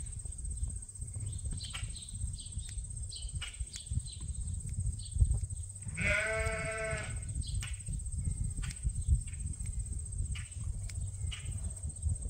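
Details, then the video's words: Ram at Ewetopia Farms, a large registered Suffolk and Poll Dorset sheep farm, during a quiet day with the rams Gladiator and Leonard: one rich, wavering bleat lasting about a second midway, over low rumbling handling noise and scattered clicks. "Time With Our Favorite Rams!"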